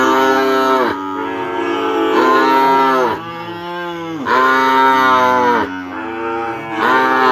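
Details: Madura kerapan race cattle from Sapudi Island, held in a village: loud, continuous lowing in four or five swelling bellows that each end in a falling dip, with faint music in the background.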